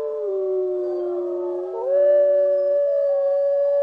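Grey wolf howling: a long, smooth, mournful note that sags slightly, then climbs and holds a steady higher pitch, with a second lower voice overlapping.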